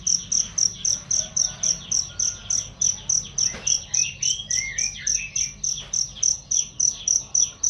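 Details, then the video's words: Shrill cricket chirps for tutoring songbirds, sharp high pulses at a brisk regular beat of roughly four per second, while softer warbling bird notes rise and fall in the background. "masteran jangkrik untuk burung"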